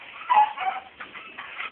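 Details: Pet dog giving a drawn-out whining yelp with breathy, wavering pulses at home, a person speaking about jealousy nearby.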